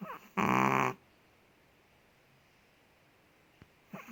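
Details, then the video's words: Indonesian pet Chihuahua Ted, asleep, lets out one loud grating snore of about half a second, followed by near silence and a faint click, then the start of another breath. "5 MINUTES DOG SNORES"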